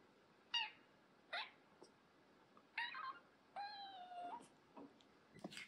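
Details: Mu, a rescued former stray kitten, complains to the older cat Yamato at their first meeting: six short, bright meows at irregular intervals, one drawn out and steady for most of a second, over faint background hiss.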